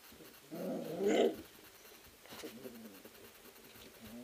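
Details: Three-week-old sled-kennel puppies wrestling in their whelping house give one rough, whining growl lasting under a second, then a few faint squeaks and scuffling noises.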